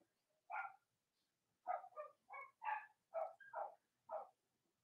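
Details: Robin and Myra's Cavalier King Charles Spaniel puppies, indoors on a chilly Monday morning before Halloween in the US, yapping in a quick run of about eight sharp, bright yips, mostly in close pairs.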